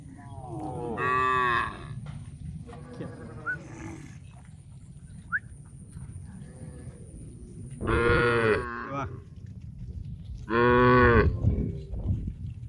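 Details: Tame cows in a big herd walking to a grass field to eat; loud harmonic moos spaced a few seconds apart, with quieter distant lowing and a constant low rumble of the moving herd between them.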